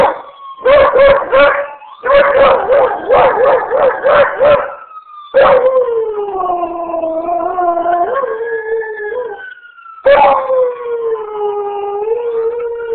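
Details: A beagle/shepherd mix howls along with ambulance sirens, opening with rapid stuttering bay notes, then drawing out long wavering howls that dip and rise; the siren's gliding tone sounds between the dog's phrases.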